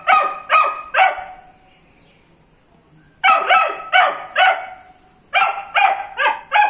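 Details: Young Dobermann Pinscher, 78 days old, giving high-pitched puppy barks in bursts: three quick yaps, a silent stretch, then four more and a closing flurry of four, each bark short and bright.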